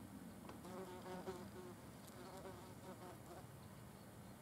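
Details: Wasps feeding on a carcass outdoors; a low droning wing buzz with shifting pitch, rising and falling as insects fly close, several passes overlapping in quick succession against faint background hiss.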